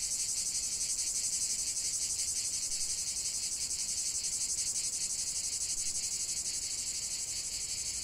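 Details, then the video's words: Shrill massed cicada song, an unbroken high buzzing with fast, even throbbing about four beats per second, steady in loudness and fading only slightly toward the end. "chant des cigales"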